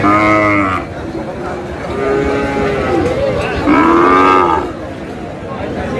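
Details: Sahiwal bull calf at a busy cattle market, bought by a farmer from Natore, Bangladesh; two strong, harmonic moos about three seconds apart, each under a second long, over steady crowd chatter.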